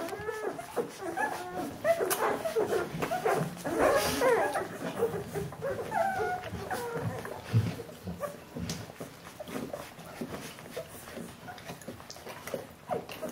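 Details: Jeanie and Captain's Bernese Mountain Dog puppies, 14 days old, whimper in bursts. Squeaky, wavering cries cluster early on, then thin out into softer, scattered whines.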